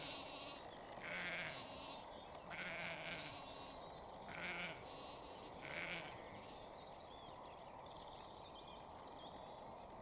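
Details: In Cambridgeshire, UK, on 20 April 2021 around 6:39 pm, a ewe bleats repeatedly, calling for her lamb with wavering, nasal cries.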